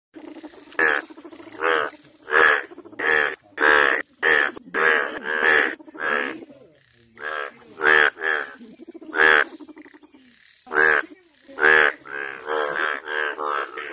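An Indian bullfrog gives loud, nasal, bleating croaks in rapid, uneven series.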